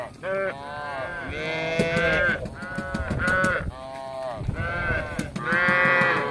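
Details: Tame cattle roaming a village in search of grass: a series of drawn-out harmonic moos with slight pitch bends, overlapping clicks and background rustling.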